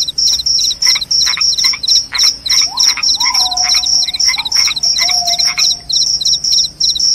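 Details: Cricket chorus of high, sharp pulses repeated about three times a second, with short lower buzzy bursts between them and a faint whistled note sliding in near the middle.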